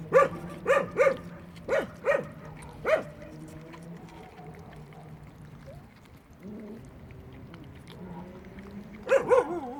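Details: Puppies eating at a building site, a cluster of short high yips early on, then quieter whining tones, with a final pair of yips at the end.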